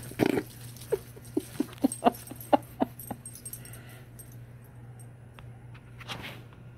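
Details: Tonka, an Alaskan Malamute, reacts to a Bigfoot recording with a run of short, pitched whimpering yips, about eight quick bursts over three seconds, after an opening louder yelp, then quiet with a faint steady hum.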